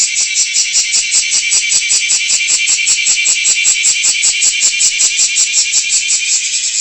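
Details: Large brown cicada (Graptopsaltria nigrofuscata), song.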